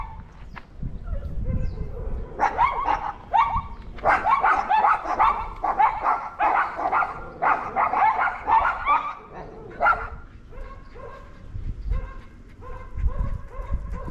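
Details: Household dogs bark at the neighbour's dog they dislike, recorded August 17, 2022; bursts of loud, overlapping barks build in the middle, then thin out to softer, scattered yaps and low rumbling.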